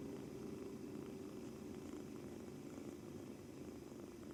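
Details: Male British Shorthair kitten, two months old, kneading and purring constantly during its first day after being brought home; an even, low, throaty purr throughout.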